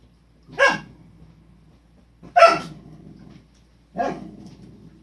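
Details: Cardigan Welsh corgi puppies from Nabe's litter, filmed indoors on 1 March 2020; three loud barks, each with a short growling tail, spaced about one and a half seconds apart over a quiet background.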